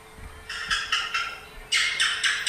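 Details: Asian house gecko (thạch sùng) calling with sharp, dry clicking chirps: four evenly spaced clicks, a short pause, then a quicker, louder run of chirps.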